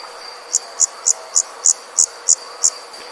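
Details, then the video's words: An insect calling at night makes short, high, bright chirps, about eight evenly spaced pulses in three seconds, over a steady faint high hum and soft background hiss. "Insect Sound At Night"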